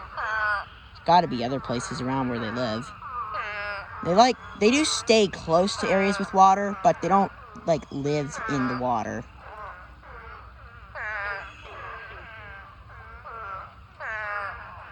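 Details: Thousands of spadefoot toads crowd a pond in a breeding swarm, giving a dense run of wavering, bleat-like cries that pile up for nine seconds, then thin out to scattered, softer nasal calls.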